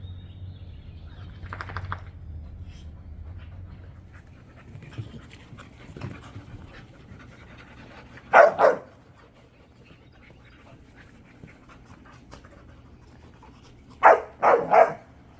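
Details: Dogs at play in a wide, natural back yard, a group of three pit bulls, a Belgian Malinois and a puppy. One short harsh bark bursts out midway, then a quick double bark near the end, over a quiet low hum.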